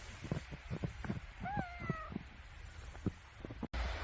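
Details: Domestic cat in winter beside a wood fire, giving one drawn-out, slightly falling meow of about half a second amid sharp crackles and pops of burning logs.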